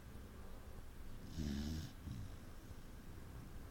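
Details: Saint Bernard asleep and snoring: a single low, raspy snore lasting about half a second with an airy hiss, followed by a softer exhale and quiet room tone.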